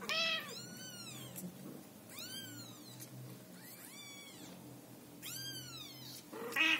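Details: Scottish Fold cat and kittens indoors; three high, thin, arching meows, each rising then falling, spaced about two seconds apart, over a soft background purr.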